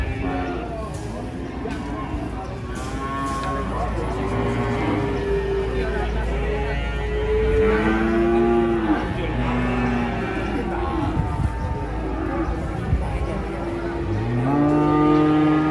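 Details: Cattle loaded onto a truck, many loud arched moos following one another, some deep and some higher, a steady engine hum beneath and people's voices around.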